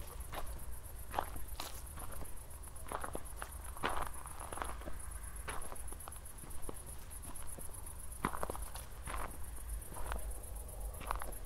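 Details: Crickets after a thunderstorm, heard at night on a walk in Zwettl, Austria, in 24-bit stereo: rapid, even high pulses form an unbroken trill, with footsteps crunching every half second or so and low rumble below.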